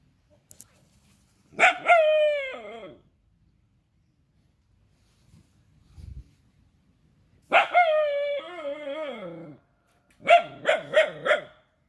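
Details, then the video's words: Rajapalayam dog giving drawn-out, wavering whining howls in three bouts: two long sliding cries, then a final bout broken into short pulsing yelps, with quiet gaps between. "Rajapalayam Dog"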